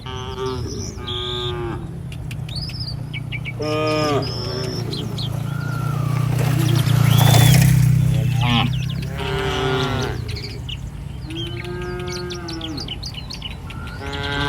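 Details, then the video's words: Street-roaming herd of Indonesian village cattle mooing repeatedly, deep harmonic lows overlapping from different animals, a passing engine rumble swelling midway, and birds chirping high in the background. "Suara sapi lucu Moo"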